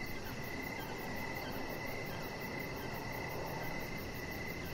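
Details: Crickets calling outdoors in the evening by a deck produce a nearly continuous mid-pitched trill with a very high, rapidly pulsing layer above and a soft steady low hum beneath.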